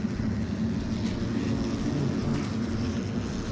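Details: No animal is heard, only steady rumbling wind or engine-like noise that stays loud and even throughout.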